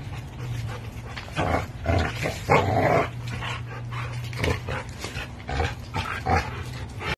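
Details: Tug-of-war play between an American Bully and a Pitbull with a Tugmutt toy, heard as a steady low growl with gruff, bark-like outbursts, plus clattering and scraping from the game.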